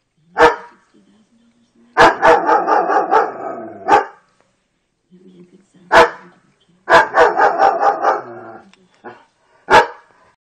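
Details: A German Shepherd barks at an electrical socket, giving loud, sharp barks in bursts, with rapid rough strings between single barks.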